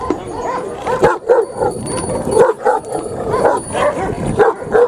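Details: Large Pakistani Bully Kutta barks in loud, irregular bursts a few times per second, with short quiet gaps between. A faint high steady tone and low murmuring sit in the background.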